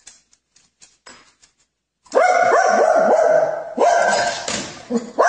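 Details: After faint scattered taps, a pet dog breaks into a sustained, sing-song howling bark lasting about three seconds, pitch bending up and down with a brief break midway, loud and close.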